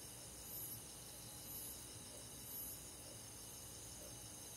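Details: Three high, quick cricket chirps about a second apart on a summer night in rural forest, over an unbroken hiss of other night insects.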